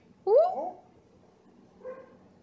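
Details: Purebred Bluetick Beagle puppy named Bats, short for Bruce Wayne, very vocal and howling while being saucy to his new owner: one loud, rising then falling howled note with clear overtones, followed by a faint, brief second call, indoors.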